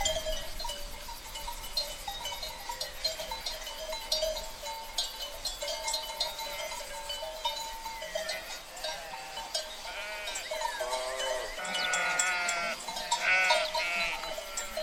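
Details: Sheep herd with constant ringing bells and clanks for the first ten seconds, then several loud, quavering bleats from different animals near the end.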